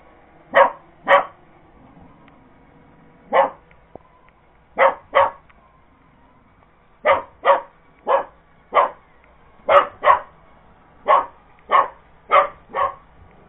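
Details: Purebred Cocker Spaniel barking while going after an iRobot Roomba robot vacuum indoors; sharp single and doubled barks in irregular bursts, sixteen across the stretch, with a faint steady hum beneath.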